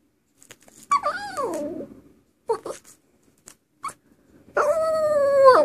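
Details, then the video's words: Dog singing, with a falling whine-like howl, brief yelps, then a sustained steady howl at the end; music and a person's voice around it. "Bullet Singing"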